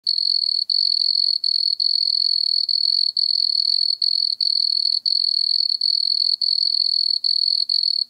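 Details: Wood cricket (Nemobius sylvestris) singing at Altenberg, Austria, on 9 August 2022: a steady high purring trill, nearly continuous, broken by brief gaps every half second or so, with a faint upper harmonic and no other sounds.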